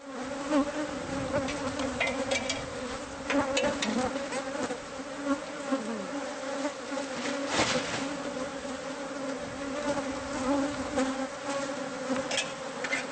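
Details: Bees from a hive hidden inside the walls of a newly bought house, exposed during removal: a steady, dense buzzing drone with a low hum and overtones throughout, plus scattered clicks and knocks.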